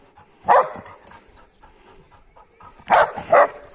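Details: Labrador Retriever barks on cue during home obedience training. One loud bark is followed by a long quiet stretch with faint sounds, then two more barks close together near the end. The handler's commands are heard around them.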